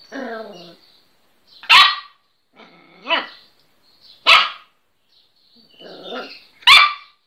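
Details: A little Miniature Pinscher barking for the first time gives sharp, high barks about every two and a half seconds, with softer voiced sounds between them.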